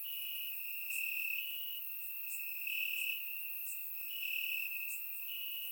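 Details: Night chorus of crickets in Bulgarian grass on a warm summer evening, surround-recorded: continuous high-pitched trilling with louder pulses rising about every one to two seconds over a constant shrill drone.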